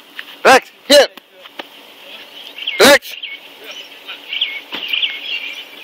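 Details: Cane Corso barking while confronting a king cobra: three short, loud, harsh barks, two in quick succession and a third after a two-second pause, with birds chirping and faint voices behind.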